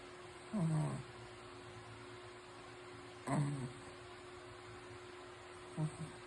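A sleeping Shih Tzu snores in low, rasping snorts about every two to three seconds.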